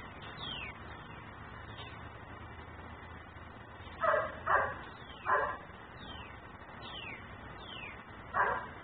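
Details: Yard dog left outside and barking for long spells, recorded from next door on a camera: four rasping barks, three bunched together then one after a pause, amid faint repeated downward chirps and steady background noise.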